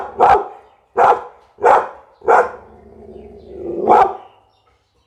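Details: Barking Pit Bull giving four punchy barks about once a second, then a drawn-out rising whine that swells into a final bark, followed by a brief pause and the start of another bark.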